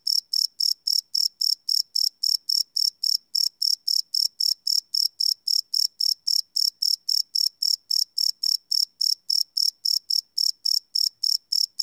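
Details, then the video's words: Crickets at night keep up an unbroken run of sharp, high chirps, nearly four per second, in a live field recording made with a Sony PCM D100; background otherwise silent. "Cricket Chirp Sound - Cricket Sounds at Night"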